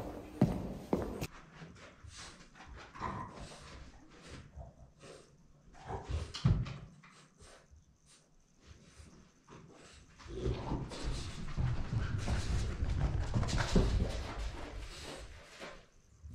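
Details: French Bulldog begging for sushi indoors: short whimpers and snuffling grunts come in irregular bursts, then a louder, sustained stretch of low grumbling noises toward the end, with faint household clatter in a small room.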